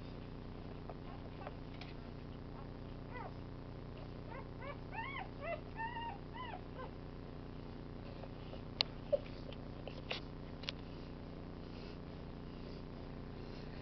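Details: Three-day-old Rottweiler puppies on Easter morning give faint, squeaky whimpers in short arched bursts, clustered mid-clip, with a few sharp clicks over a steady low indoor hum.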